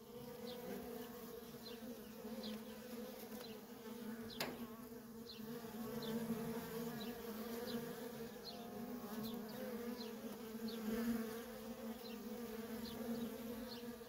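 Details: A feral honey bee colony's constant worker traffic gives a deep, steady buzzing with a brighter upper tone. Short high bird chirps recur about every second, and a single sharp click comes early on.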